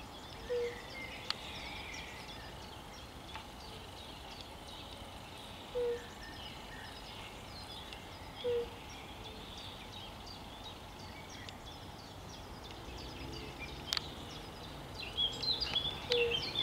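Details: European fire-bellied toad (Bombina bombina) recorded 10 May 2021, giving soft, low, hollow 'oop' notes spaced a few seconds apart.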